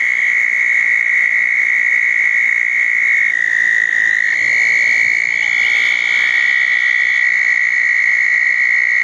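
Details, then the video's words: Southern toads calling at a pair of small man-made ponds on a wet night after a thunderstorm, June 10, 2014: a steady, high-pitched continuous trill, with overlapping trills from more than one toad and a slight pitch shift midway. "Toads in the pond"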